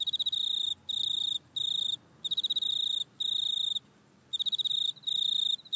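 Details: Grasshopper calling in a back yard, recorded on an iPhone: high, buzzy pulsed chirps, each burst about half a second long with rapid ticking pulses, repeated in quick succession with short gaps and one longer pause.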